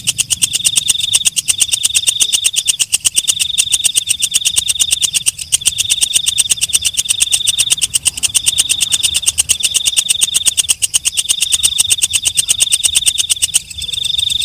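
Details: Nighttime calling of a walang kecek (night grasshopper): rapid dry ticking runs without pause beneath a shrill sustained tone, which breaks off in short gaps roughly every one and a half seconds before resuming; the tone drops out near the end.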